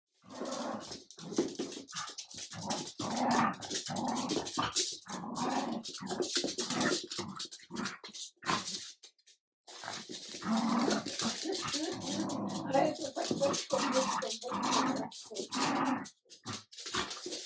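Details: Adult Jack Russell terrier and a French bulldog puppy play-fighting as the older dog shows the persistent puppy who is leader; rough growls and snarls come in dense bursts, with a short silent gap midway.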